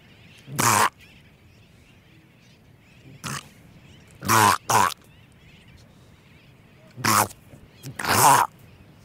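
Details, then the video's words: Close-up of a Hawaiian monk seal pup giving six short, hoarse, breathy bleats at uneven intervals, some with a faint tonal core, with its breathing audible and Sooty Terns calling faintly in the distance. "Monk Seal. CU Calls From A Pup, And Breathing."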